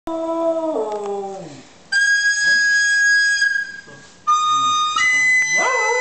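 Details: Pet dog howling along when a recorder is played: a falling harmonic howl at the start, then clear high recorder notes with the dog's low voice faintly beneath, ending in a rising howl.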